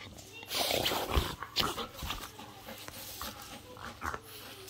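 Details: Aggressive French Bulldog indoors, giving a run of rough, breathy snorts and harsh bursts at an uneven pace, with a person's voice mixed in.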